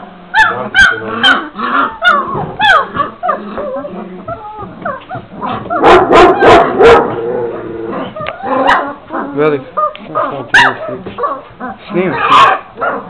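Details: Šarplaninac pups at 26 days old, several voices at once: rapid high yips and whines in quick succession, a dense noisy scramble midway, then scattered squeaky yelps.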